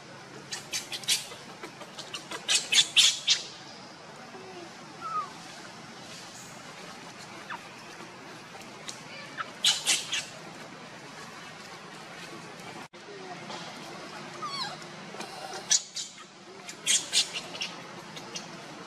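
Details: Monkeys as Luna runs fast carrying Luno while Rainbow tries to take Luno from her: clusters of shrill, high squeals and squeaks in short bursts, separated by quieter stretches of rustling background noise.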